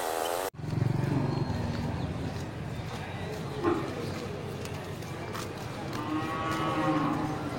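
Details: Large local beef cattle, bulls ready for slaughter, at the Geulumpang Payong livestock market on 8 May 2021. A low harmonic moo is heard early, then a higher, drawn-out bellow near the end, over steady crowd murmur and talking.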